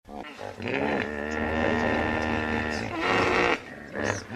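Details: Hippopotamus giving one long, loud, harmonic-rich groaning bellow that holds steady for about three seconds, then breaks into a shorter, harsher grunt near the end.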